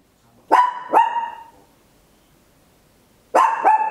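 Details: Papillon toy dog at home barking loudly, recorded in stereo: two quick ringing barks in succession, a pause, then another tight pair of sharp barks.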